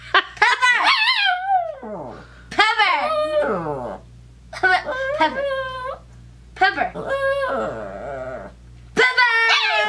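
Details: Female pet dog indoors, reacting to being called a name she hates, gives long wavering howl-whines that rise and fall like talking. Five drawn-out bursts separated by short pauses, with a steady low hum behind.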